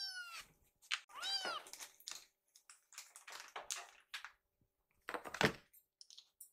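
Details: Rescued kittens, hungry and waiting in the kitchen for their meal, give a few short arched meows mixed with clattering, tapping and rustling of food preparation; the calls are brief and interrupted by household noise.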